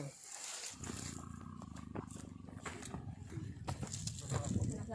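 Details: Sumatran tiger caught in a conservation agency trap on Saturday 7 March 2020 in Singgersing village, Sultan Daulat district, Subulussalam, Aceh, Indonesia; healthy and due for translocation. Low, rumbling pulsed growl running steadily, with people talking close by.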